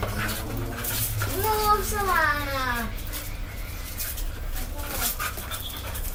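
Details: Domestic dog Coco, acting cat-like, produces one long drawn-out whining howl that swells then slides downward over about two seconds, followed by quieter room noise and faint voices.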